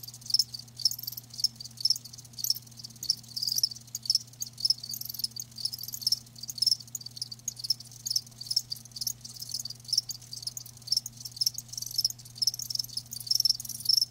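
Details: Live crickets chirping steadily, a dense high-pitched trill of rapid pulses repeating throughout, with a constant low hum underneath.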